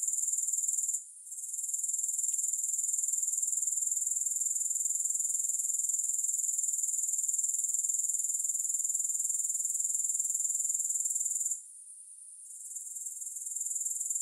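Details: Grasshoppers give a continuous, piercing high trill of fast even pulses with no music, with a short gap near the start and a longer fade-out and recovery toward the end.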